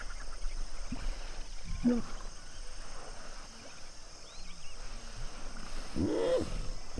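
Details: At sunset in the Okavango Delta's Duba Plains, a hippo pod sounds off with a short grunt early on and a longer, louder rasping honk toward the end over steady low background noise.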